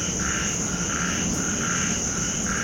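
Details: Small frogs calling during a live stream, after rain. Short pulsed croaks repeat about every half second over a steady high insect-like hum.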